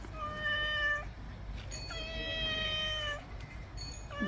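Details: Pet cat said to be getting bathed meows repeatedly: two long, flat, tonal meows of about a second each separated by a short pause, then a third beginning, with faint background hum and a woman's voice nearby.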